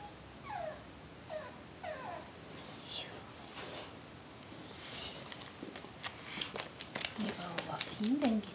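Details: Adult dog Jersey Girl showing keen interest in a 5-week-old puppy; a run of short high whimpers slides downward near the start, followed by softer scuffling and faint thin whines, with Swedish speech in the background.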